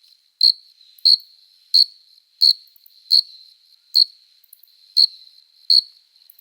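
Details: Summer-night cricket song, made by a male rubbing its forewings to court a female: nine bright, high chirps in an even series, one roughly every two-thirds of a second, over a faint continuous ringing tone.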